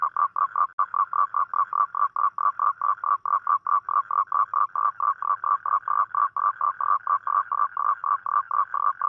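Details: Nighttime toad call, made on rainy nights to attract a mate: a long, even series of short raspy pulses at one mid pitch, close together at around four per second, with no background sounds.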